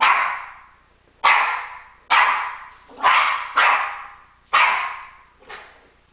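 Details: Female pet dog barking in protest at her owner taking a shower: seven sharp, loud barks at irregular intervals of roughly one second, each ending in a fading ring.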